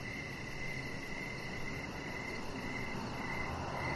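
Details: Crickets chirping in the evening beside a deck, a steady high trill of rapid repeated pulses running through the whole stretch over a broad low rumbling background hiss.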